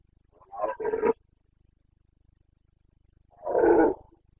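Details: Carpathian red deer stag roaring in the Bucovina mountains during the September rut, 29 September 2022; two harsh, guttural bellows about three seconds apart, the second deeper and fuller, with quiet background otherwise.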